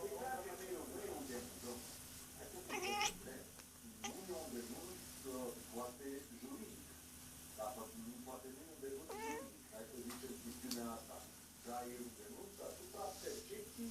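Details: Female cat vocalising as if talking to an imaginary friend: a long string of short chirping, trilling murmurs with wavering pitch, one sharp rising squeak near three seconds, in a quiet indoor setting with faint hiss.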